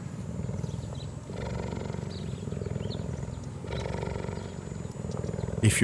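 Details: Cheetah purring in a steady, low, rapidly pulsing rumble that runs through the whole stretch, swelling slightly twice, with a sharp noise at the very end.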